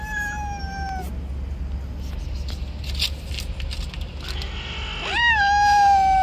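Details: Stray cats fighting over territory on the street, around an angry white cat: a long, steady, harmonic-rich yowl at the start, a low rumble of traffic throughout, then a rising, wavering howl that swells louder near the end.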